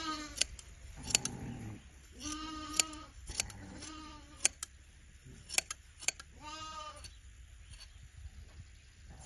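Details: Sheep being sheared in a village in autumn: several wavering, nasal bleats in irregular bursts over nine seconds, mixed with sharp metallic clicks and rustling handling noise.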